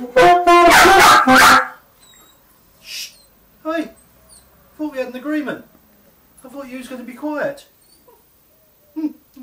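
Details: Pet Westiepoo named Teddy protesting saxophone practice: a brief burst of sax, then a run of wavering, bending yowls and whiny howls in short bursts, with pauses between and the owner's voice nearby.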